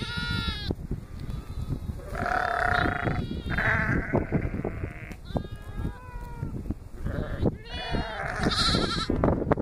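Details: Lambs on their first day with an Akbash guardian dog, giving a series of wavering, nasal bleats, several overlapping or following closely one after another, with rustling and shuffling noises underneath.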